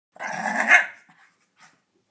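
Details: A Shih Tzu angry at its bath towel after a bath gives one rough, noisy growling bark lasting under a second, then falls silent. A faint bit of rustling follows.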